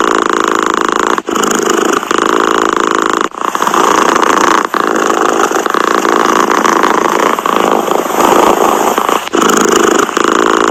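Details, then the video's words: Purring cat, a continuous coarse vibrating drone that stops briefly about every two seconds and then resumes at the same even strength, in an otherwise quiet setting. "Tiếng mèo kêu gừ gừ"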